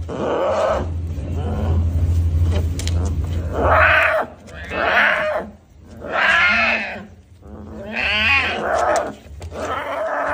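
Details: Young tiger cub crying with several drawn-out, bawling calls that rise and fall, separated by pauses, with a constant low background drone.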